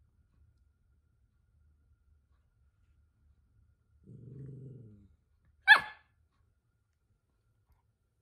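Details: A Toy Poodle at home, scolded angrily by his little sister after getting carried away and making a fuss, gives a low rumbling growl of about one second, then a single sharp, loud bark in otherwise quiet surroundings.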